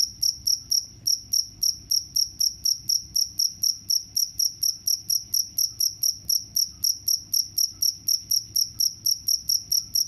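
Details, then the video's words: A cricket keeps up a bright, shrill chirp, short pulses following each other at a quick regular pace of roughly four per second throughout. "The sound of crickets can repel mice"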